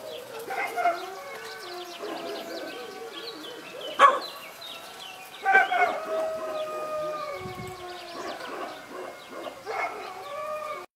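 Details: Kuvasz puppies, already on the alert, give high, drawn-out yelping howls and barks as they join in guarding.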